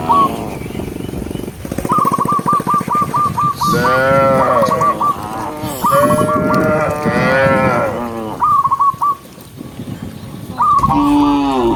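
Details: Dozens of cattle being herded across the countryside, a run of rapid high whistled trills, then a series of long wavering moos from several animals, more whistled trills in between.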